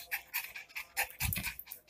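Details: Indoors, a Miniature Pinscher called Lilo, which has scattered clothes across the floor, whines in high, rapid bursts mixed with breathy panting and some low thumping.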